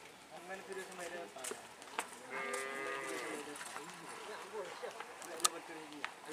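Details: Cattle at a karapan sapi bull-race training session at a field in Asemanis, Pamekasan, ahead of an event; a drawn-out moo with rich harmonics rises over a noisy outdoor background of crowd chatter and clatter.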